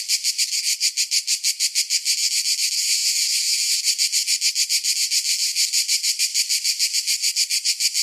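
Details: Cicada song on a summer day, a high, grating buzz beating in rapid regular pulses, briefly merging into a smooth drone before the pulsing returns.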